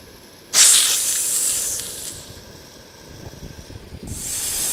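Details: A snake's dry, prolonged warning hiss, used to impress a threat and avoid a fight: a sudden loud breathy burst that fades over about a second and a half, then a second hiss rises near the end.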